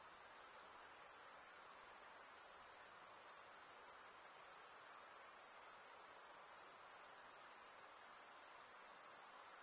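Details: Steady shrill buzzing of night insects, high and continuous with a quick pulsing grain and small swells in loudness, over a faint hiss.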